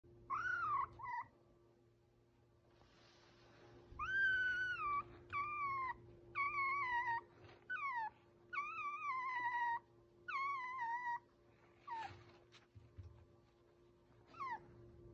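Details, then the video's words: A baby fox whining: about nine high, wavering, nasal whines, each about half a second to a second long and often falling in pitch, separated by short pauses, over a steady low hum. "A real baby fox and he’s whining"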